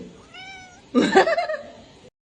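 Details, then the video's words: Crying domestic kitten: a faint thin tonal mew, then a louder, rougher, wavering meow lasting about half a second, in a quiet room. "kitten meowing crying"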